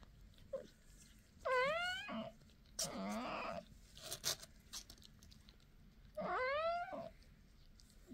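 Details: Mother cat talking to her babies, lullaby-like: two clear rising-then-falling meows several seconds apart, with a rougher, moaning vocalisation and faint clicks and rustles between them.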